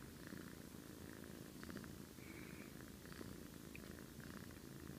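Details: Sleeping domestic cat snoring like an old man: soft, raspy breaths recurring roughly every one and a half seconds over a steady low rumble, quiet and close.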